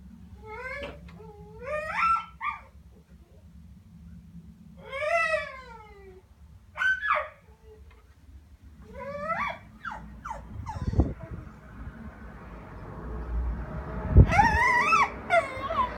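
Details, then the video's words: Male Staffordshire Bull Terrier crying when his owner is out of direct sight; high, wavering whines and yelps rising and falling in drawn-out bursts, later a louder squealing cry over rustling and thumping. "Staffie Cry"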